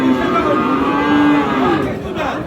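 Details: Friesian heifer calf at the Aftabganj cattle market in Dinajpur, Bangladesh, 26 October: a steady, low droning moo of about half a second, then fading, over a busy crowd of chattering voices and faint music.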